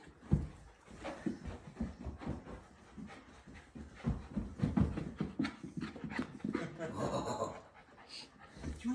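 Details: Miniature Australian Shepherd puppy panting hard indoors after the zoomies, rapid rhythmic huffs through most of the stretch, a person speaking briefly over it and some shuffling noise.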